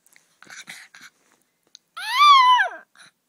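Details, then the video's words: Freda, a Miniature Pinscher indoors, gives one loud, high, arching scream lasting under a second. It swells, holds and then falls away. Brief soft snuffling and breathy noises come before it. "Freda the SREAMING Min Pin"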